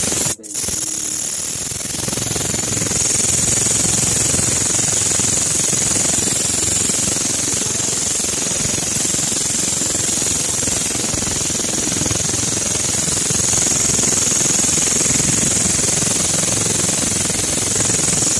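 A grasshopper gives a loud, continuous, high rasping buzz that barely changes in strength.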